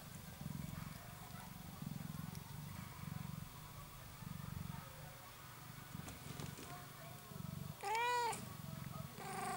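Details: One-week-old kitten, one of four, with the hiccups: low rumbling bursts repeat in rhythmic pulses for several seconds, then a short, clear, rising-and-falling meow near the end, followed by soft rustling.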